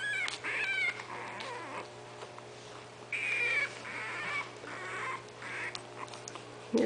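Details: Twenty-day-old puppies, Itsy Bitsy's litter of five, wait for their mother to nurse them. Scattered high squeals and drawn-out whines come in a few bursts with quiet gaps between them, over a constant background hum.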